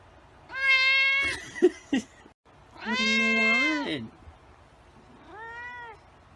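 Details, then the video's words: Three meows from a white cat: a long level one, a wavering lower one that slides down, then a shorter, softer one. Brief clicks or knocks sound between the first two. "White Cat Meowing"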